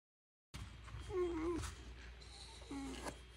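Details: Shiba Inu Ranmaru, a pack-loving dog who whimpers with worry when pack members leave, on day 131 after a disaster as grandmother prepares to move to temporary housing; a short nasal whine slides slightly downward, then a briefer second whine, indoors.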